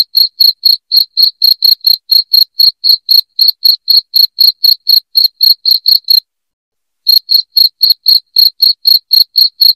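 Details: A cricket's loud, ringing chirp, meant to scare rats away from a house. High pulses repeat briskly and evenly before a brief silent break late on, then continue in the same rhythm. Nothing else is audible.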